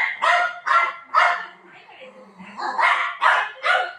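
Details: Pet dog barking in short sharp bursts, three quick barks, a brief pause with soft low sounds, then three more barks in quick succession. A person speaks in the background.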